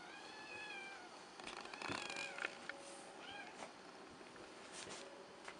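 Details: Selkirk Rex cat named Schwan gives a drawn-out wavering meow, then rustling and clattering noises broken by a couple of brief, chirpy meows.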